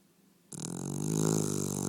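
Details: Domestic dog snoring in a small room, a sudden loud rasping snore that swells and holds with a fast vibrating flutter to the end.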